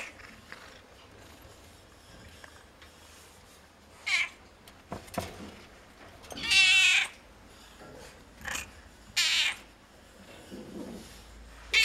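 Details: At a veterinary clinic, a cat gives one loud, quavering meow amid scattered short squeaks and knocks, with quiet background hum between the sounds.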